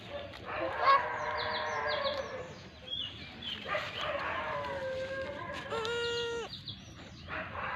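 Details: Brief, level bleat from a lamb near the end, preceded by mixed farmyard chatter and noise.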